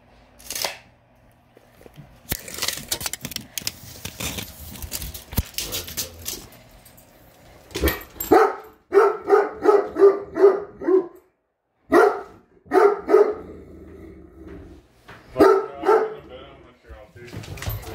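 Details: Great Dane reacting with displeasure to a measuring tape: after several seconds of rustling and handling noise, a quick run of high, harmonic yelping barks repeats rapidly, followed by two more short clusters of barks.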